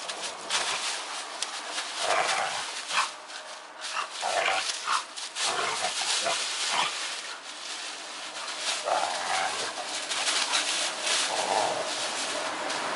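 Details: Bull Terrier puppy named Snap fooling around with Tigrik; snorting grunts and short nasal whines come in uneven bursts, rising and falling, over a steady bright hiss throughout.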